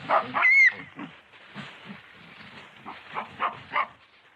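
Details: Yellow baboon (Papio cynocephalus), grunts and squeal.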